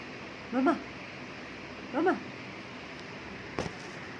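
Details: Cat reacting to a person sneezing, giving two short wavering meows about one and a half seconds apart, followed by a faint click.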